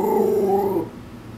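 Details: Shih Tzu Maltese mix dog warbling in protest at something outside the backyard: a short, low, wavering growl-like vocal lasting under a second, then quiet.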